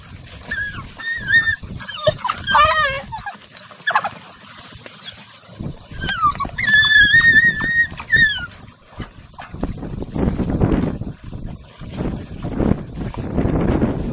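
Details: African wild dogs at a meal in Chobe National Park, Botswana, giving high, bird-like twittering and squeaky wavering calls in bursts, followed by rough tearing and chewing noises from feeding.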